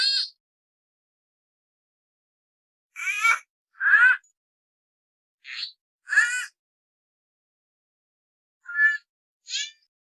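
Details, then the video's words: Sloth calls in a compilation: seven short, high, harmonic squeals, some rising or falling, each under half a second, spaced irregularly over ten seconds, with silence between them and no other sounds. "SLOTH SOUND EFFECT 나무늘보 울음소리"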